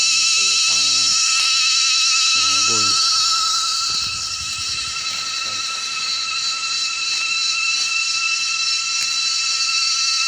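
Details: In a windy forest as dusk falls, a dense, high-pitched cicada chorus hums without pause in a shimmering metallic buzz. A man speaks briefly near the start, and strong gusts of wind rustle underneath.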